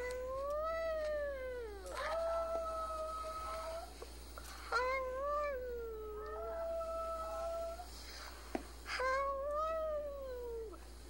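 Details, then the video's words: Pet male Chihuahua aged five, coaxed by a family member to howl, sad over a female in heat; a series of arched, sliding howls about two seconds each, some breaking upward, with brief voices between. "Muppet howling funny Chihuahua dog"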